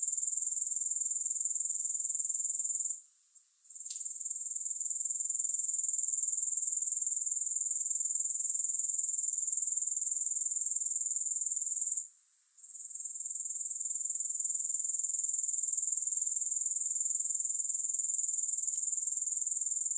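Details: Grasshoppers trilling continuously in a thin, very high, rapidly pulsing buzz, falling quiet twice for about a second before the sound returns steadily; no music.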